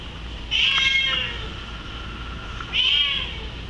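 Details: Male Bengal cat crying to be let upstairs: two loud, plaintive meows about two seconds apart, the first longer and wavering, the second shorter, with quiet room hum between.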